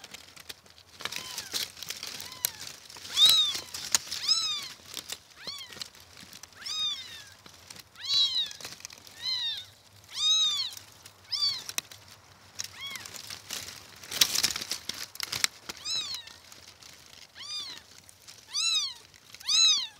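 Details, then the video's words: Kittens mewing over and over, high thin arched cries with a rising-then-falling pitch, repeated every second or so across the whole stretch, with soft rustling in the background. "los Gatitos"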